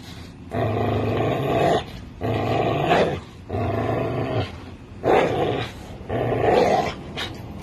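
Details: Tug play between an American Bully and a Pit Bull, with steady low rumbling growls in bouts of about one to one and a half seconds, five bouts in a row.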